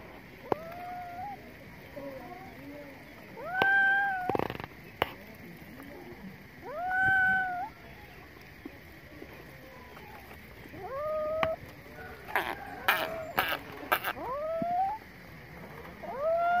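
Kittens give high, thin meows that rise then fall, repeated every few seconds, with some handling noise.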